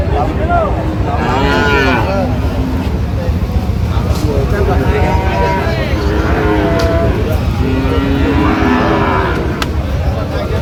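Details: Sahiwal bull calves at a cattle market in Tangail, Bangladesh, on 19 September 2025: repeated harmonic moos, some rising and others falling, overlapping one another above steady crowd chatter and a low rumble of vehicles.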